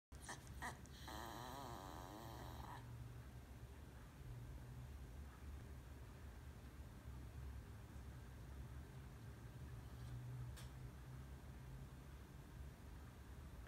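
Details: Shiba Inu; whine; asking to be let outside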